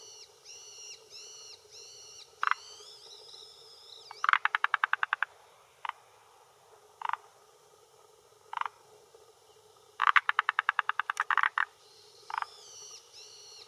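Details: Male forest green tree frog calling with inflated throat sac at the shore of a hillside pond in Japan, early June, late afternoon, claiming territory and attracting females; short single croaks plus two rapid rattling bursts of about ten clicks, with faint whistled notes early on.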